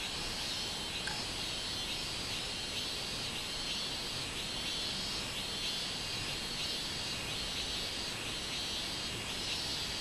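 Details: Minmin cicada song recorded on 24 July 2016, summer: a steady high buzzing band that swells in regular pulses about once a second throughout, over a constant background hiss.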